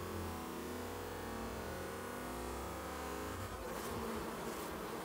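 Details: A steady, droning hum of many honey bees fanning to cool their hive on a hot 95-degree day in Minnesota.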